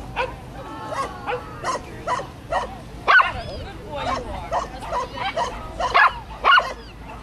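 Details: Japanese Chin dog running agility with its handler, dated 11/7/10, giving a series of short, high, sharp yipping barks at irregular intervals, some with rising-and-falling tones between them.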